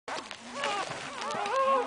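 Newborn Cocker Spaniel puppies cry in thin, high-pitched squeals, each one sliding up and then down. The whimpers overlap in quick succession, and a faint murmur of human voices sits underneath.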